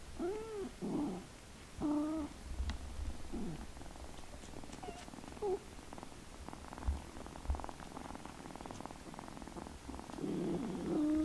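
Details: Kittens give short, bending meows at uneven intervals, some clipped and some drawn out, with a quieter stretch of faint rustling in between and a louder, longer meow at the end.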